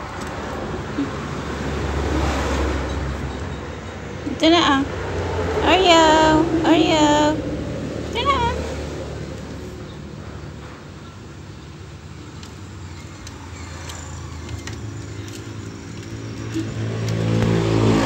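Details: Oreo, a cat newly added to the family, gives a run of four or five rising-and-falling meows between roughly four and nine seconds, over steady rumbling vehicle noise throughout.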